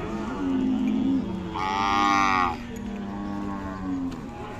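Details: Khillar cow at a cattle market in Sangola, Solapur district, on 28 April 2024: a long, low, steady moo with a brief higher, brighter tone in the middle, over general market background noise.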